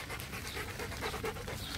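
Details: Macho, a Rottweiler, pants during a game of fetch outdoors: steady rapid breathy noise throughout with no clear pauses, low rumble underneath, no voices heard.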